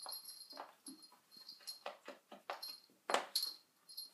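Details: Sona the dog busy with a cushion gives rapid, breathy puffs and soft whimpering noises, roughly three or four per second, ending in a sharper louder snort.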